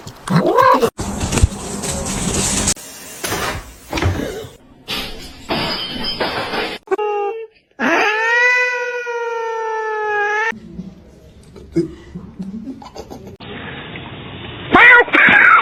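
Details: Pet cat lets out a loud, drawn-out, strained meow lasting nearly three seconds, with a brief rising mew near the start, between bursts of excited human speech and household noise.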